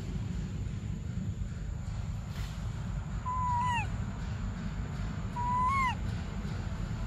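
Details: Baby monkey Briar crying for milk: two high, arched whistled cries that rise and then drop, a couple of seconds apart, over a steady low rumble of background noise.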